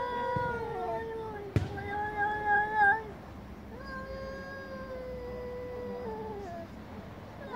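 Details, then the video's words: Angry domestic cats meowing very loudly in chorus: long, drawn-out wailing yowls with rich harmonics, one held about a second and a half, another close to three seconds, sliding gently in pitch, with a sharp click between them. "Cats meowing very loudly │Angry cats chorus"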